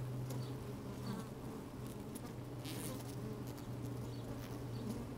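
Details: Inside an opened beehive on a sunny, breezy day, honey bees working around a microphone placed among them; a continuous low hum with a steady pitch, plus light rustling taps and a brief burst of hiss.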